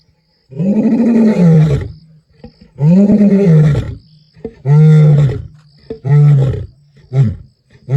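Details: Masungulo, a male lion in Kruger National Park, roars strongly on 11 April 2025 in deep, drawn-out moans that shorten into quicker grunts.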